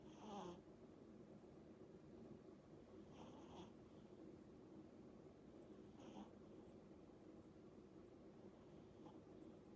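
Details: Sleeping eight-month-old Pomeranian snoring softly indoors; quiet breathy rasps recur about every three seconds over a low, steady background hum.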